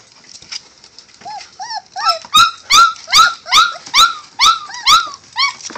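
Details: Male Catahoula bulldog puppies whimpering indoors, a series of high arched whines and yelps rising and falling, repeated about twice per second, starting soft and growing louder and more insistent.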